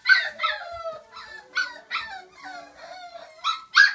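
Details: Five-week-old puppies, Flute's girls and two of her boys, cry in a run of high yelping howls with long downward-sliding whines between them, loudest at the start and end.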